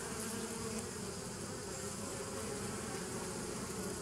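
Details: Bees recorded on 27 September 2018, a steady, dense hum of many wings with layered low droning tones, unbroken and even in loudness for the whole stretch, with no other sounds.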